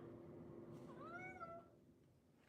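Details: Domestic cat in a studio, an animal that hardly ever meows, gives one short meow lasting about half a second. The meow rises and then falls, over a steady low hum of room noise, and ends with a click.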